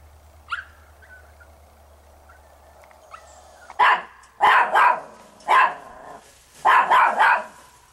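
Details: A Chihuahua that has been climbing over fences barks in a quick series of sharp barks, some doubled, after a few seconds of near quiet with faint high squeaks.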